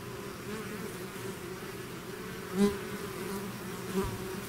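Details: Hive swarm of bees, continuous low droning hum; two brief louder buzzes from bees passing close to the microphone stand out over the steady background.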